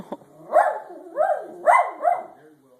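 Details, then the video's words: Jeter, a pet dog, produces four short, rising-and-falling yipping barks in quick succession, each a brief arching cry roughly half a second apart. "Jeter makes funny noises"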